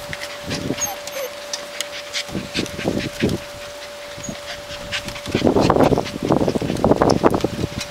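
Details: Alaskan Malamute puppies at six and a half weeks, from a litter of Andy and Clara, giving short whimpers and yelps in a busy scene, ending in louder broadband bursts, with rustling and handling noise and a steady hum.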